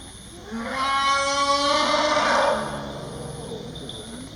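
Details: Phlai Phu Pha, a young wild bull Asian elephant, in Khao Yai National Park, Thailand. He has left the forest alone and calls loudly for his missing, heavily pregnant mother Mae Duan, gone from the herd. One long, loud harmonic bellow swells, then fades.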